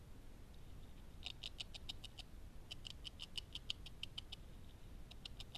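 A beaver gnaws in quick bursts of sharp, dry ticks over a low, steady rumble.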